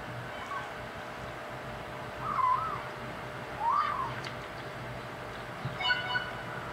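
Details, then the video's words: Five-week-old male kitten chattering while eating dry food meant for the big cats: three brief, thin mews with a bent, wavering pitch spaced about a second and a half apart over a quiet hum. "kitten talking while eating"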